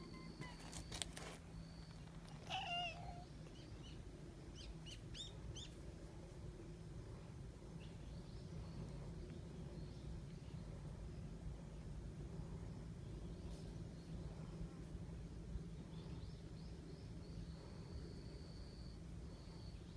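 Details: Community cat from a large, very friendly group of street cats: one short meow with a stepped, wavering pitch early on. Afterwards only a steady low hum and outdoor background noise are heard, with faint bird chirps.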